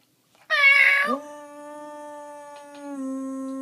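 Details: Indoor dog, said to hate meowing noises, reacting to a brief loud meow with a steady, sustained low howl that holds one even pitch for over two seconds.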